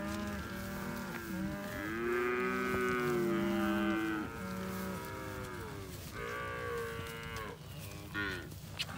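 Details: Hereford cows with their Braford calves, a herd of 71, on 29 October 2021. Many overlapping drawn-out moos and bawls, some higher and some lower, form a steady chorus that thins slightly toward the end.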